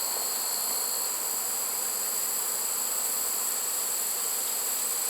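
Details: Swarm of honey bees taken in a trap in September 2019, one of six caught from releasing hives: a smooth, constant buzzing drone with a thin, steady high whine above it.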